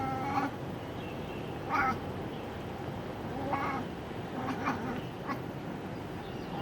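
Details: Domestic cat chattering at a bird, a noise its owner was hearing for the first time: scattered short, nasal, harmonic bursts spaced over several seconds, quiet against a steady background hiss.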